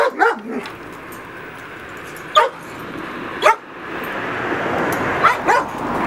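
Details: Young female Doberman Pinscher, grown a little and starting to play tug-of-war over toys, gives about five sharp, high yipping barks at irregular intervals over steady background hiss.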